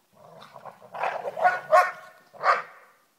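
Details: Freddy the Basset and Jed the Labrador wrestle in the snow on Christmas Day, giving a low rumbling growl that swells into loud, rough snarling bursts, with a final sharp growl near the end.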